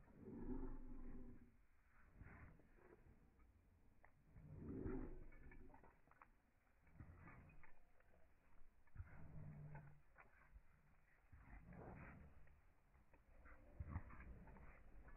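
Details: Excited German Shepherd Evo welcoming its owners home, uttering a series of low, groaning whines and moans in uneven bursts over fifteen seconds, some louder swells, amid indoor rumble.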